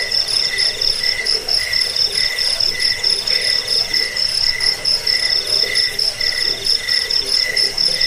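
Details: Chirping cricket, a recording for driving off rats, helping sleep and training birds; shrill, high trills pulse in quick regular bursts, about one and a half per second, above a steady ringing tone.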